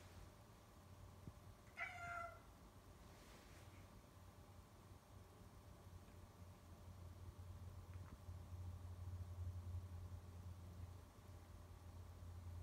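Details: Domestic cat Loxley, meowing at the people nearby on 11/24/18, gives a single short, bright meow near the start, then only a faint click and a steady low rumbling hum for the remaining seconds.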